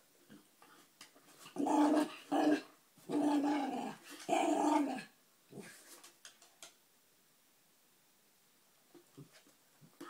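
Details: Puppy talking to his treat indoors: three loud, sustained, warbling growl-moans in quick succession, then quiet with a few faint clicks and shuffles as a man says they should go.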